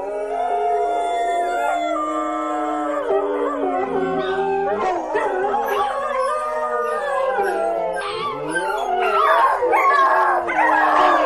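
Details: A chorus of howling dogs: long drawn-out tones held steady, then bending and wavering as more voices join, growing louder and more tangled toward the end.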